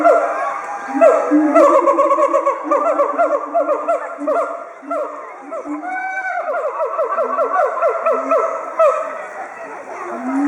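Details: Two excited siamangs at Chiba Zoological Park, Japan, duet loudly in October 2013, threatening rivals at their territory. A fast run of accelerating, bouncing barks fills the recording, with a brief lull midway and children's chatter underneath.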